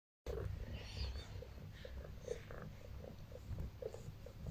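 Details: A female pet cat kneading and resting on her owner purrs with a low, rumbling, continuous throb, soft pulses repeating about twice a second, close to the microphone with faint rustling.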